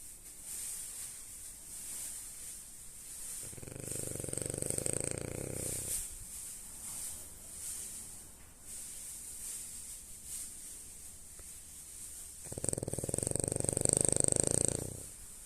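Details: French bulldog Lady asleep and snoring indoors: two long, rough, low-pitched snores with a steady buzzing rattle, each lasting about two to three seconds, separated by quieter breathing with a faint high hiss in the background.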